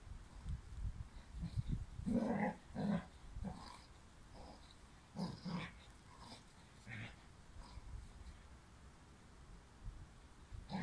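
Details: Dobermann puppy with a bone, low rough growls and snorting grunts in short bursts, several louder pulses around the middle, with chewing and rustling between.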